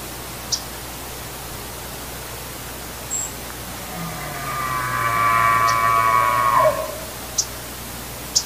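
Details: A big bull elk bugles during the rut in the Sacramento Mountains, New Mexico, 2022: a long, high, whistling note with a low rumble beneath it.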